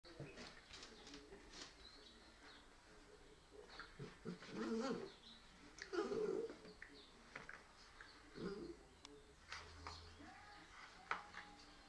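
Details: Woody, a 13-week-old Border Collie puppy, gives short, whiny yelping bursts near five, six and eight and a half seconds against a quiet background of soft cooing and faint high bird chirps.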